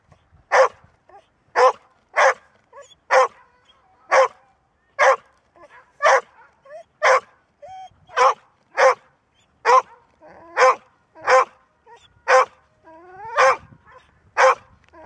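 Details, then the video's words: Long, steady run of about fifteen loud barks from a female Golden Retriever, spaced roughly a second apart, with faint whines mixed in. She is said to seldom bark but to keep it up endlessly once started. ""Bellen", Golden Retriever"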